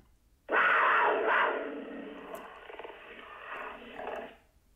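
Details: A cougar (Puma concolor) gives a loud, harsh, raspy scream that holds for about four seconds before fading.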